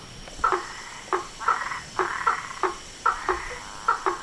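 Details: Frogs, toads and tree frogs calling at dusk at a pond in front of a house veranda: short, knocking pulsed notes with a bright tonal tick, about eight calls spaced irregularly over four seconds, with a faint steady hum behind them.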